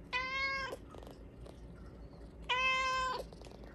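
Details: Hua, a pet Bengal cat, begging its owner for Japanese cod stick treats at supper: two drawn-out, level meows separated by a pause of about two seconds, with light clicks and rustles in a quiet room.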